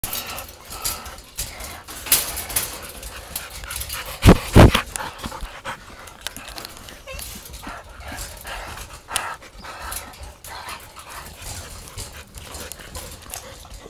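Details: Two dogs playing together, rapid breathy panting in quick irregular bursts, with a couple of louder thumps or scuffles partway through and household background noise.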